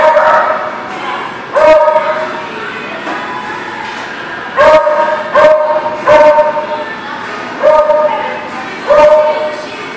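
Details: Dog at The Barking Lot, recorded 10/12/18, giving short harmonic barks in bursts: one early, then a quick cluster of three around the middle and two more near the end, over a steady indoor hum.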